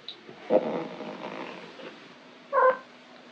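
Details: Stretching at home, Foxie the orange Maine Coon tomcat gives two short, bright chirping mews about two seconds apart, with faint rustling between them.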